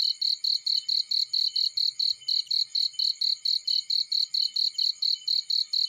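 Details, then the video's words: A cricket in a field, fire burning nearby, gives a shrill rhythmic chirp, each pulse distinct and slightly spaced, roughly four per second, with soft low crackling underneath. "Burning with Cricket Sounds"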